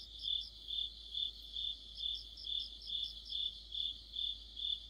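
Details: In the heart of autumn, crickets chorus near a streetlamp with bright, ringing chirps pulsing evenly about twice a second, a second, higher insect voice trilling intermittently behind.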